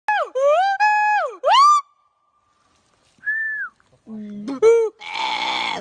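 A gibbon gives loud, clear hooting notes that slide up, hold steady, then swoop down.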